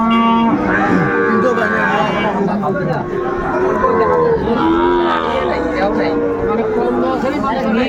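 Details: Sahiwal bull calves offered for sale at a Dhaka cattle market, 8 May 2024; drawn-out moos with rising and falling tones overlap amid buyers haggling over prices and crowd chatter.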